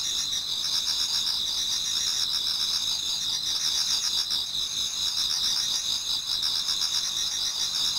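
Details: In a Japanese garden near dawn, a crowd of autumn insects sings continuously, high shrill trills stacked in bands, unbroken and even in volume with no other clear sounds.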